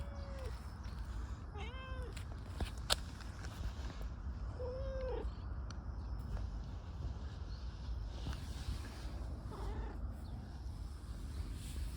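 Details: A stray tortoiseshell community cat, very affectionate and rubbing up, gives several short arched meows spaced a few seconds apart over steady low outdoor background noise.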